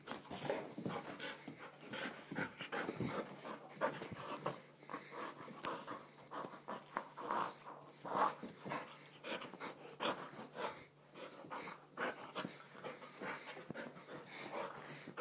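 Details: Izzy, an excited Golden Retriever, pants in quick rhythmic huffs, breathy bursts repeating several times a second with brief pauses, indoors.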